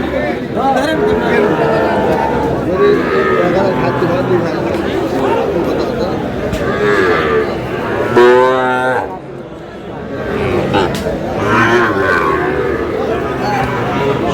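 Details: Sahiwal cattle at a Cumilla cattle market in Bangladesh, where bull calves are sold, dated 9 June. Low, drawn-out moos with rich harmonics rise above steady crowd chatter and men bargaining, with one clear lowing call near the middle.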